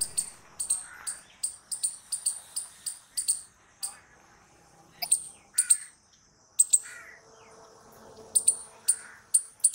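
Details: Squirrel calling with strings of bright, sharp, high chips in quick succession, pausing briefly between bursts, with occasional softer, lower wheezy notes and faint background murmur.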